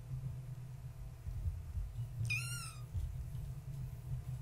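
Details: A kitten of the tabby cat Gaia, born March 14, 2017, at bedtime indoors. After a quiet start, a single high, wavering mew falls away in pitch and ends within half a second, against a low steady hum.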